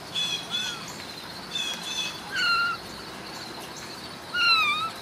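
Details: Ragdoll kittens raised indoors without cages at a home cattery in central Kansas give thin, high mews that arch up and slide down, about four calls spaced a second or so apart over quiet room hiss.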